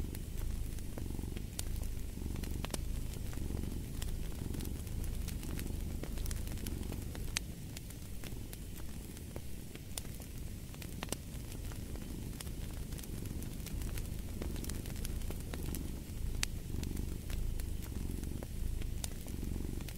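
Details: Purring cat in a mix for deep sleep, relaxation and stress relief: a rumbling purr with a gentle in-and-out rhythm about once a second, and dry crackles and pops from a fireplace throughout.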